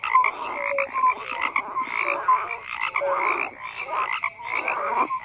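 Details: Massed frogs croaking, grating pulsed calls overlapping with scattered short tonal whistles, the chorus rising and falling in irregular waves about once a second.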